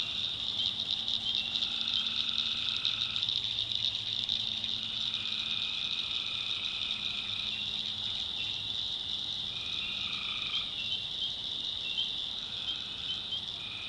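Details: Night chorus of tree frogs in a North Carolina backwoods swamp, a constant high shimmering drone broken by lower trilled notes lasting one to two seconds that come and go from several callers.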